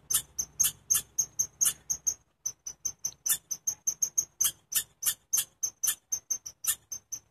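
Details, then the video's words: Chipmunk named Chirpy giving a long series of sharp, high chirps, each a short bright note repeated roughly three times per second with brief pauses, steady and loud throughout. "Chirpy the chipmunk"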